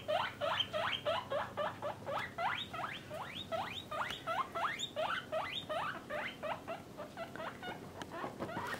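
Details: A steady series of about twenty sharp, rising whistled wheeks from pet guinea pigs, a parent-and-young group kept in male and female cages, evenly repeated before trailing off softer near the end.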